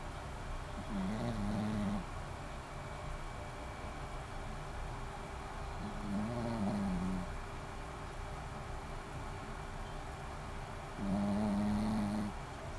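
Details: Shih Tzu named Maron, sleeping and snoring: three drawn-out, low, nasal, rumbling breaths roughly every five seconds, each lasting about a second, over steady indoor background hum.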